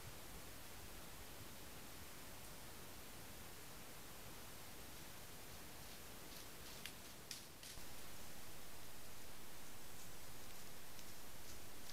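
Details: Only a steady, faint hiss of background noise is heard, with a few soft rustles and no animal calls. The noise grows slightly louder near the end.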